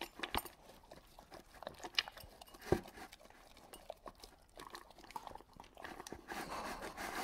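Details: Indoor recording of a dog swallowing dry food without chewing: sharp, irregular crunches and clicks roughly every second, one loud snap near the middle and a denser rustling patch toward the end.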